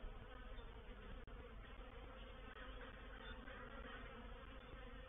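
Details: Swarming honey bees moving into a bait hive at Painted Peacock Manor, dated 04/07/21, produce a constant, rich droning buzz that holds level across the whole stretch, with a couple of faint knocks.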